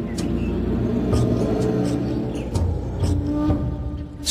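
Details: Dark, dramatic orchestral music with low sustained tones and sharp percussive hits; no animal voice stands out.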